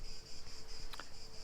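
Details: Cicadas in summer at the Fortezza Medicea, minutes from Siena's historic centre, Italy, give steady, high-pitched buzzing that drones without a break over low rumbling wind.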